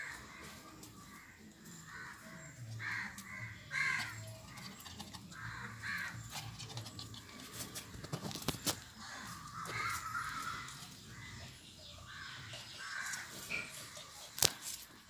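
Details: Lhasa Apso puppies at play, giving short, high, yelping barks in irregular bursts, with sharp clicks and knocks scattered between the calls.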